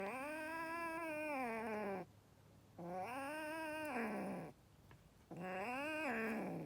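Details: Angry kitten giving three drawn-out, harmonic-rich wailing yowls, each about two seconds long, rising slightly then sagging at the end, separated by short silences, in a quiet indoor space.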